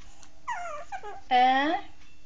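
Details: Shih Tzu dog whimpering indoors: a few short, falling whines, then a louder, drawn-out harmonic whine near the end, over a steady low background hum.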